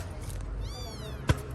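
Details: Small abandoned kitten finding care and being fed, letting out one thin, rising-then-falling meow with bright overtones, followed by a sharp knock against a low background hum.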